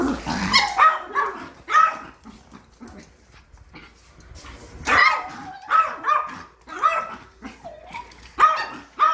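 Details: Yorkshire Terrier, angry at a new vacuum cleaner, gives repeated high, sharp barks in uneven bursts, clustered near the start and again around the middle and end, with quiet gaps between.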